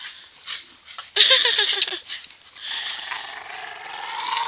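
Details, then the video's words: Two pet dogs wrestling over a rope in play; a sudden burst of rapid, pulsed yapping growls, then a long sustained rasping growl that swells and fades. "dog play"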